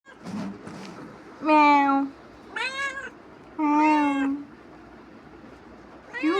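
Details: Pet cat pestering its owner after coming back from wandering outside, giving about four drawn-out, harmonic meows of roughly half a second each, some rising then falling, with faint background noise and a woman's voice nearby.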